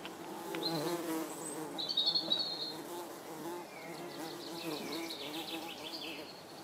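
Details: Tree bumblebees at a nest inside a bird box in Iceland: a steady, low, droning buzz that swells and fades, with high chirping birds above it throughout.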